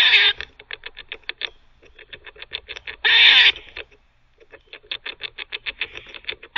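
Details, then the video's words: Teething squirrel barking: rapid rhythmic clicking chucks, several to a second, interrupted by one loud raspy buzzing bark in the middle, then more chattering clicks. "Squirrel barking (while teething)"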